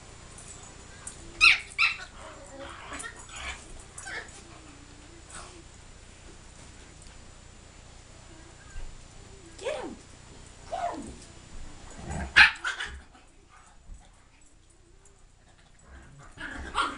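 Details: Two dogs, Reggie and Riley, one big and one little, playing together; sharp bright barks and yips burst out in short clusters near the start, again around the middle and once more toward the end, with quiet pauses between.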